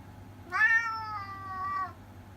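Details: Orange tabby house cat in Japan, talking: one long drawn-out meow, bright and harmonic, starting loud then slowly fading with a slight lift at the end, faint hum beneath.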